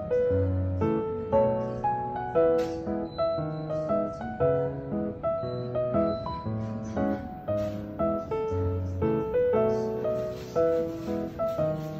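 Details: Gentle piano melody with soft, steady keyboard notes and no animal sounds.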